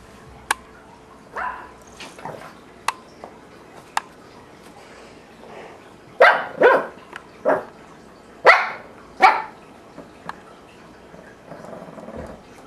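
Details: Shih Tzu puppy, three months old, indoors in a kitchen play pen in Bozeman, Montana, in April 2007, discovering a tuna can: sharp clicks and clatter of the can, then a series of short high yappy barks.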